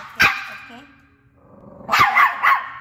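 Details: Chihuahua indoors with its owner after being told it is not a friend: a sharp single bark, a soft whine, then three quick yappy barks at the end.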